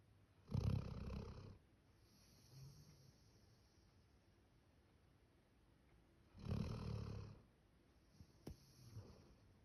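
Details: Male Labrador Retriever named Max, born 2019, snores much like a person: two heavy, low, rumbling snores six seconds apart, each about a second long, with a faint snort and quiet room in between.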